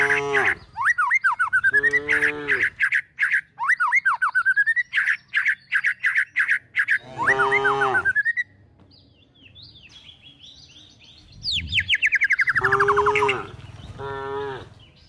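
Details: While cows and calves are herded toward the forest looking for food, short, hoarse moos break out at intervals, with sharp, repeated bird chirps and rising whistles in between and a quiet lull midway.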